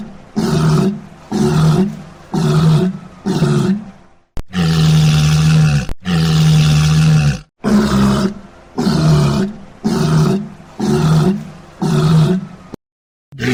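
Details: Walrus giving a long run of rough, deep roars. Short bursts repeat about once a second, broken by two longer, drawn-out bellows in the middle, then short bursts again. Nothing else is heard.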